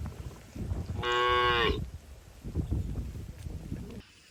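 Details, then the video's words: Cattle herded through forest toward their shed, jumping happily; a single short moo of under a second stands out over rustling footsteps and low ground noise. "Suara sapi moo melompat gembira"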